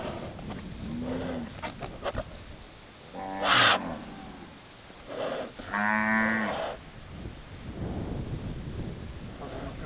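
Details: Heifer tangled in a tree, mooing in distress: a short harmonic moo near 3.5 seconds and a longer stacked moo around 6 seconds, with rustling, thuds and people talking nearby.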